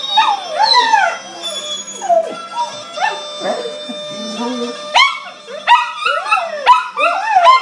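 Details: A Maltese terrier sings, howling along to bagpipe (gajda) music in wavering, sliding yips and moans.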